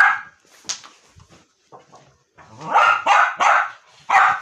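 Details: A dog annoying his mother barks in a quick run of loud, harsh barks, several closely spaced near the end, after a few softer sounds.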